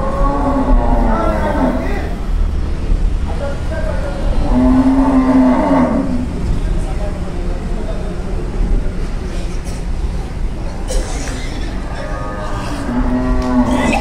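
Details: Milk cows offered for sale at Bankra, Howrah, near Kolkata, on 8 November 2022: long drawn-out moos near the start, middle and end. People talk throughout over a steady loud rumble like passing rail traffic.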